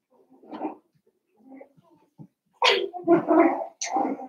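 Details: Cavalier King Charles Spaniel puppies, seven weeks old, in a puppy pen in the middle of a family home: soft whimpers and brief yips at first, then a quick run of loud, harsh puppy barks, indoors.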